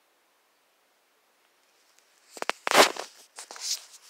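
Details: Near silence for two seconds, then a few sharp clicks and rustling bursts like movement or handling in a room, with no animal voice.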